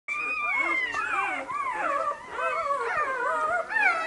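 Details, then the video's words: Labrador mother Luna, with her five-day-old puppies, gives a drawn-out, warbling whine-howl that rises and falls in near-continuous 'talking' yodels, telling Lilli she may not get into the whelping box. "Luna "sagt" Lilli das sie nicht in die Kiste darf."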